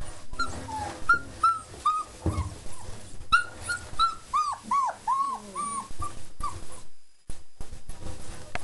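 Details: A litter of German Shepherd puppies aged four weeks, right after a meal of kibble, yogurt, nutritional yeast and raw chicken, keeps up steady high whines and yelps, several overlapping, amid shuffling and a brief quiet gap near the end.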